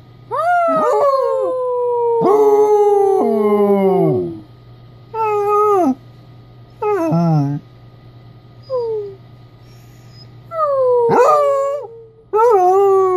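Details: Mildred, a 3-year-old Basset Hound, "converses" with her owner during a laundry break, giving the lower howls she rarely makes: long, wavering tones sliding downward, broken by shorter yelping bursts.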